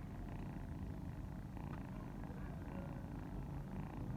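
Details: Mother cat purring as her kittens nurse; a continuous low throbbing purr that swells and eases in a slow rhythm about once a second, with no other clear sounds.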